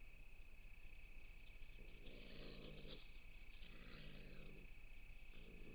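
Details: Gray fox giving low, harsh, pulsed growling calls in bursts of about a second, three bouts spaced roughly two seconds apart, over a steady high-pitched hum and faint background hiss.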